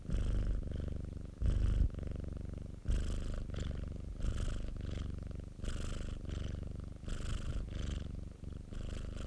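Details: Pet cat belonging to a friend giving a close, deep purr. The rumble strengthens in rhythmic waves, around forty-two per minute, each loud phase carrying a breathy rasp. Two stronger bursts appear in the opening seconds.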